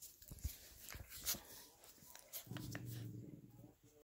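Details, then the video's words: Pet dogs at play: scuffling taps and thumps for two seconds, then a low, steady, droning growl lasting about a second before fading out. "Random video of my dogs playing"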